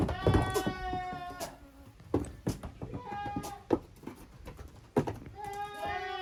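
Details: Young goats, the kids of Koharu and Okayu, at play in two teams in the yard of a handmade goat farm, Japan, June 13, 2023; a long bleat opens, then shorter cries among knocks and clatter.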